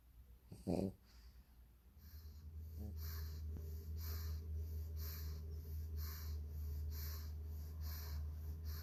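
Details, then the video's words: Female pug snoring indoors: after a short snort, a steady low rumbling drone sets in, overlaid by hissy, wheezy breaths repeating about every half second. "Funny dog snoring 💤 Vă întrebați cum sforăie un PUG/MOPS?"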